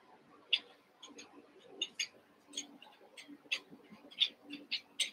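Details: A playing litter of eight Cavalier King Charles Spaniel puppies, Daisy's six and Robin's two merged together; shrill squeaky yips repeat about every half second, bright and piercing, over a faint low hum.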